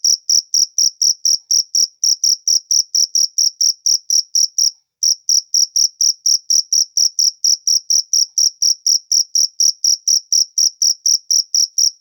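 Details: Natural cricket sound: a steady series of shrill, rapid chirps, roughly two per second, with one brief pause near five seconds before the regular pulsing resumes; no other animals or background noise heard.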